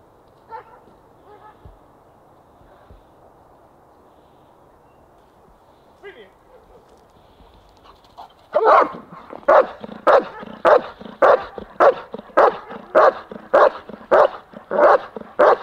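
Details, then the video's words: Protection-trained German Shepherd: quiet background with faint sounds for eight seconds, then a burst of loud, evenly spaced barks, roughly two per second, continuing to the end. "German Shepherd, Obedient & Protective!"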